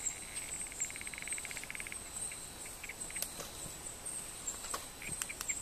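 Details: Male Barrington's tree frogs fighting and wrestling, one giving a soft purr: a quick train of rapid pulses for about one and a half seconds, then scattered clicks, over a steady high insect whine.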